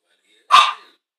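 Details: Chihuahua barking while watching television: one sharp, short yap that fades quickly, followed by silence.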